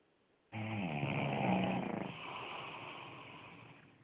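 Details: Pug named Tommy Tantrum snoring indoors: one long rasping snore with buzzy low tones, starting abruptly after half a second and fading slowly into a softer exhale.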